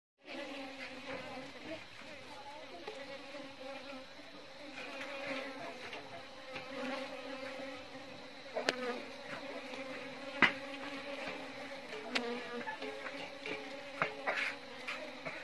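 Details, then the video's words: Asian honey bees, Apis cerana indica, kept by a beekeeper: a steady layered hum with bands near 250 and 500, continuous throughout, with occasional sharper clicks and brief louder buzzes of bees passing close. "Apis Cerana indica🐝🐝"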